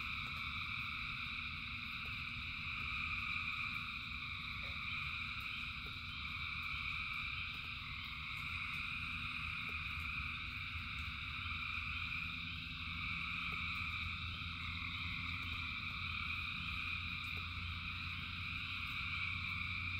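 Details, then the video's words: Thousands of frogs singing in rain: a dense, unbroken chorus of layered trilling at several pitch levels, with a steady low rumble beneath and faint clicks scattered throughout. "Frogs in Rain 2 Hours of Frogs, Thousands of Frogs Singing"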